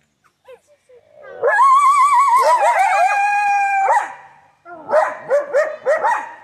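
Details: Coyotes at The Alaska Zoo in Anchorage, Alaska howl together in wavering overlapping tones, then break into short yipping barks.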